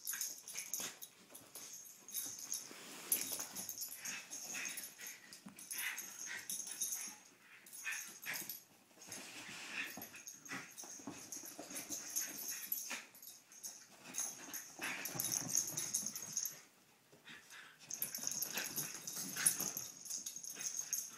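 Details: Poppie and Nellie, two pet dogs, romp together, giving a steady run of raspy wheezes, panting huffs and soft grunts in irregular clusters, broken by brief quiet gaps and bouts of scuffling.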